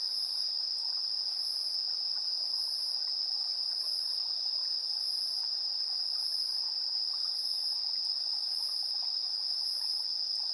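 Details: Insects calling in the evening, 7:04 PM on 3 September 2022, recorded in stereo on a handheld recorder: a steady shrill trill beneath very high pulsed chirps repeating about every second in a regular rhythm.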